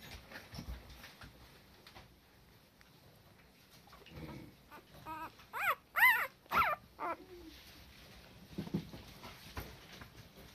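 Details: Female Cardigan Welsh Corgi puppy indoors, giving a brief burst of four or five high, whining yelps in quick succession midway, with quiet rustling and soft sounds before and after.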